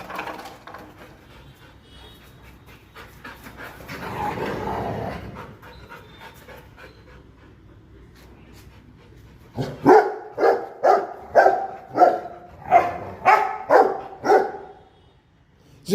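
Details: A pet Rottweiler, trained since young to check "who's there", gives a run of deep, rhythmic guarding barks, about two a second, after a quiet start, as if someone has come.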